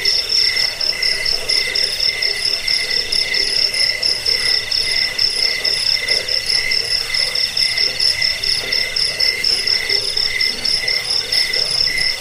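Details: Chirping cricket, played to repel rats, help with sleeplessness and school songbirds; a continuous high trilling chorus of stacked tones, pulsing evenly and fast across the whole stretch, nothing else audible.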